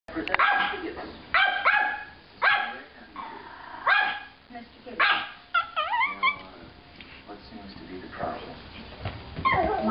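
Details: Dogs guarding an apartment while the owner is away, barking at passersby: sharp repeated barks in quick bursts, some higher yelping notes, with film dialogue playing in the background.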